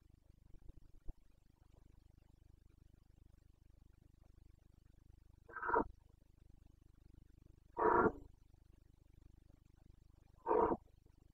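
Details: Carpathian red deer stag bellowing in the Bucovina rut, September 2022: after quiet background hum with a click, three harsh, throaty roars about two and a half seconds apart, the later ones louder.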